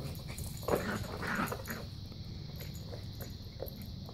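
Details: A 13-week-old Cairn Terrier puppy playing with a soccer ball gives a few brief, high yips and soft whines over a quiet background.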